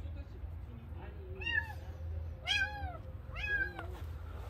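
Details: Stray kitten crying outdoors, three rising-then-falling high meows spaced about a second apart, each bright with stacked overtones, over a steady low rumble and a person's soft voice.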